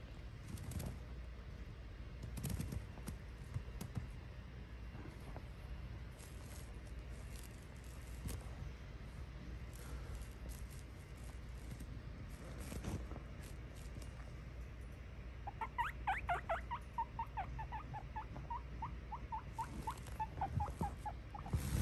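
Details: A guinea pig popping in to say hi. After a long stretch of low background rumble and clicks, a run of high whistled squeaks begins. The first few sweep up and down, then shorter chirps repeat quickly until the end.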